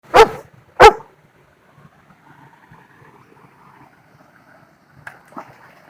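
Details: German Shepherd taking a dip at a secret waterfall in Dorset gives two loud, sharp barks half a second apart, followed by the steady rush of falling water and faint splashing.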